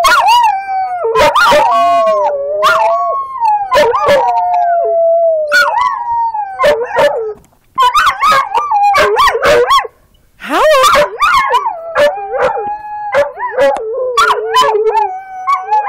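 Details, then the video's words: Pet border collies in a yard howl as a group during play, sustained quavering notes gliding down then rising again, interrupted by short yips and brief pauses, with a person praising them as good doggies. "Border collies playing & howling"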